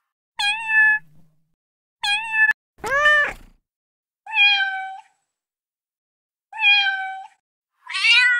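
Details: Six short meows from kittens in quick sequence, mostly steady mid-pitched cries with bright overtones, one sharper and more nasal near the start, the last higher and wavering, separated by silent gaps.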